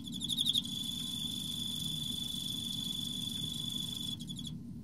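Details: Emma field cricket in autumn, with mating later: a steady high ringing trill with a louder burst of rapid pulsed chirps at the start, over a low background hum, ending in a brief silence.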